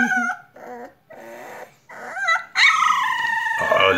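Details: Complaining four-week-old male puppy, the only pup in his litter. Soft broken whimpers under a woman's affectionate talking, then one loud, long, high wavering whine that slides downward.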